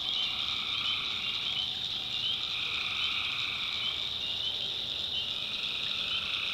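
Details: Tree frogs at night in rural North Carolina form a continuous high-pitched trilling chorus, bright and unbroken, with a fainter lower trill appearing toward the end.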